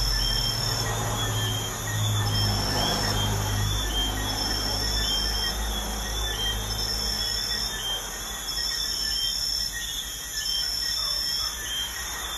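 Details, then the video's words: Crickets trilling at night by a busy highway. Continuous high, ringing tones in stacked bands sit over a heavy low roar of vehicles that is loudest at the start, then eases. "Crickets at night by a busy highway"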